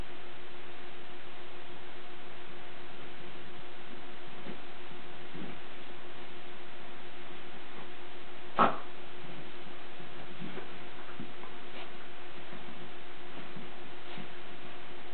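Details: A playing Lakeland Terrier lets out one sharp, loud bark midway, with faint scattered yips before and after against a constant background hum.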